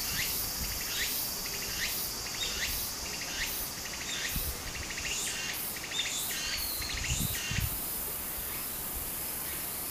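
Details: Summer cicada chorus by a Japanese brook: loud rasping pulsed bursts repeated about twice a second over a continuous high-pitched whine, with running water murmuring underneath.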